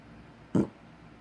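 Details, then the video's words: Sophie, a bulldog, sleeping with her eyes open, gives a single short snort-like snore with a low, rough tone centred under 500, lasting about a tenth of a second in a quiet room. "Sophie Bulldog snoring with her eyes open"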